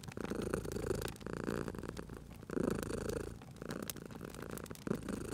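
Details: Sleeping domestic cat purring beside a crackling fireplace in a cozy spring setting; low rumbling purr rises and falls with each breath, broken by short pauses, while sharp pops and snaps of burning wood crackle throughout.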